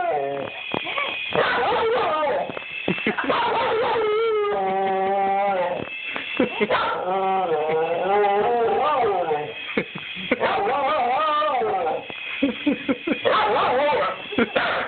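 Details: Dog aroused by a toy helicopter: a continuous run of quavering, wavering howls and whines, some yelps mixed in, with a person speaking underneath throughout.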